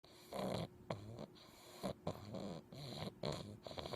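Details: A sleeping English Bulldog puppy snores in rough, rattling breaths with snorting bursts while wiggling his toes.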